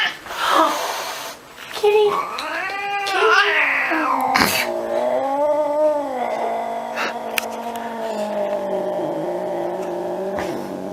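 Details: Angry domestic cat caterwauling indoors with a long, sustained, wavering yowl that swells and sags in pitch, after brief bursts of speech-like noise and clattering at the start.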